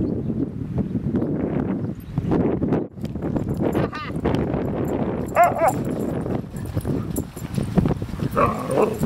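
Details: Dog at Seal Point Dog Park during an outing with Rosy and Rocky and a walk to the dock; a few short, pitched yelps and whines in the middle and near the end, over footsteps, rustling, wind and faint voices.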